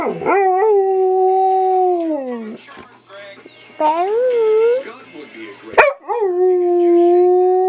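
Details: Female pet dog prompted by its owner to howl; long smooth tonal howls gently falling in pitch, several seconds each, separated by brief pauses and a sharp click, with a person's voice mixed in.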